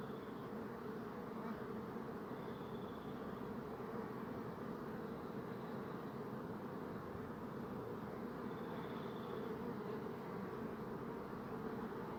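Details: Bees buzzing as a dense, steady hum of many wings, low droning tones with no break from start to end and a few faint higher whines drifting over the top.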